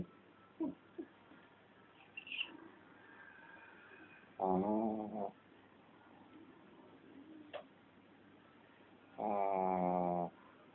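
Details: Sleeping Shih Tzu snoring: two loud, buzzy droning breaths about five seconds apart, each under a second long, separated by quiet breathing and faint small room noises.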